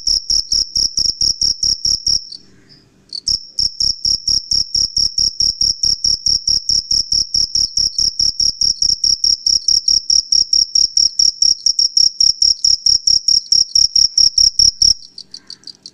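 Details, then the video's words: Jhingur, the cricket, calling at night as the male rubs its wings to attract a mate; a sharp, high, ringing chirp repeats in quick regular pulses, with a brief pause early and a fade at the end. "Crickets Sound Natural Sound ( Jhingur)"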